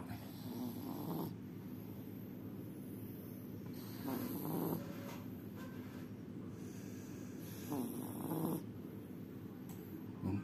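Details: Sleeping cat snoring softly: low, breathy rasping snores swell and fade in slow cycles about every three to four seconds over a steady quiet hiss.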